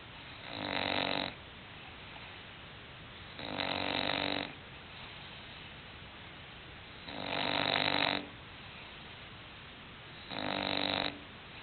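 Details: English Bulldog asleep, giving loud, raspy snores in a steady rhythm, four long buzzing breaths of nearly a second each, about every three seconds, in a quiet indoor room.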